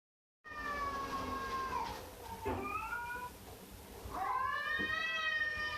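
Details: Domestic cat meowing: a long drawn-out meow that falls slightly, a short rising call near the middle, then another strong meow that rises and holds, over faint room hiss.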